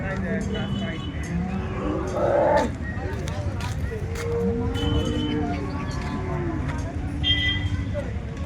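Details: Lowing Holstein Friesian cows at the Loni cattle market, 30 December 2025: a long, low, steady moo midway through, with shorter lowing around it, set against constant chatter of buyers and sellers.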